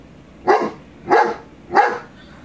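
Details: Three short, evenly spaced barks, about two-thirds of a second apart, from a 22-month-old male shepherd dog indoors, upset at a Rottweiler shown on television.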